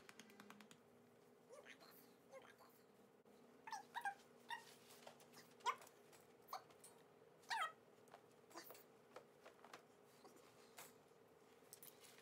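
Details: Coyote, a puppy in a kennel during endurance training for staying inside it, whines in brief, high, rising squeaks. The squeaks come in a cluster near the middle, with a few softer ones after, in a quiet room.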